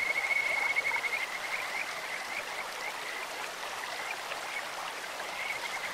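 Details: A Kajika frog in a clear mountain stream gives one short, high whistled trill at the start, then fainter trilling traces beneath constant running-water noise.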